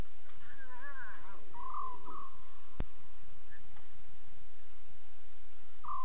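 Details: Lion cubs calling at night, 02:40 a.m. on 5 October 2016, heard as one wavering, harmonic mewing call early on. A steady series of short, repeated higher notes from another caller runs behind it.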